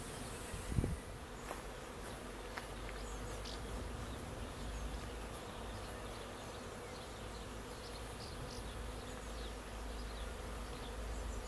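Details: Second honeybee swarm of 2021 arriving and filing straight into a swarm trap box on 19 May; a dense, even buzzing hum of many bees throughout, with faint high bird chirps in the background and one brief knock.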